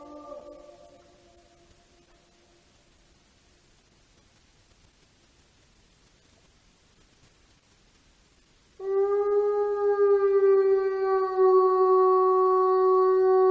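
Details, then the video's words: Wolf howling: after a long near-silent stretch, one steady, sustained low howl holds an even pitch for about five seconds with rich overtones and little wavering. "Loup qui hurle et description 🐺 Loup hurlant, le hurlement du loup"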